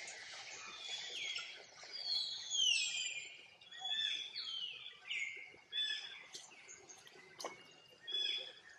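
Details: Distressed little monkey crying for its mother to come help: repeated thin, high squeals, some wavering and some dropping in pitch, rising and fading in bursts every second or so.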